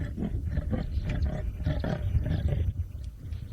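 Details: Territorial call of a male leopard named Tingana in the Maasai Mara, Kenya; a deep rasping sawing, rough grunts repeated roughly every quarter second, low and throaty, with faint voices behind.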